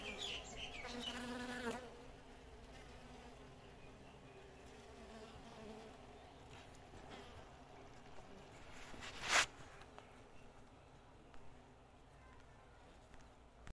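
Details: Many Western honey bees (Apis mellifera) at a natural nest, building comb and storing honey, make a steady, dense hum, with a brief sharp rustle near the end.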